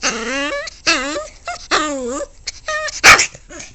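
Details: A vocal pet dog indoors, noted as noisy every day, giving a run of rising-and-falling whining yowls and short yips, several drawn-out moans in under four seconds, with a brief sharp click near the end.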